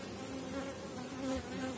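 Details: Steady hum of a strong honey bee colony as a heavy, fully filled frame is lifted late in the season; droning buzz with faint sustained tones around 280 and 550, swelling slightly near the end.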